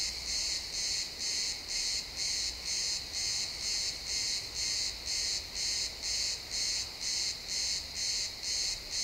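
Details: Crickets in a pine forest at sunset, XY stereo recording, producing a continuous run of sharp high chirps, steady at about two per second, with faint low-frequency ambient noise.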